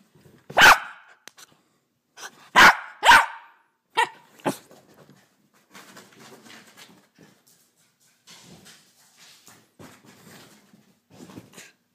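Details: A female Jack Russell Terrier puppy, running around full of energy in the morning, gives several sharp, high-pitched barks, one single then a quick pair, and a couple of lighter yips, then quiet shuffling and rustling indoors.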